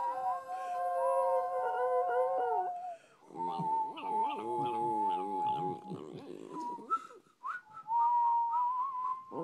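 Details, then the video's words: A female West Highland White Terrier, a pet dog coaxed into howling like a wolf indoors. Drawn-out tonal howls waver and slide upward, with a voice-like stretch in the middle before a final rising howl. "Nessie the Westie howling"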